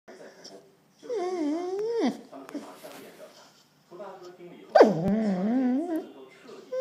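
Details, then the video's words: A pet Samoyed indoors, complaining because it could not go for a walk in the rain: two drawn-out wavering, whining howls with rising and falling pitch, separated by quieter snuffly sounds. "Angry Samoyed Complaining"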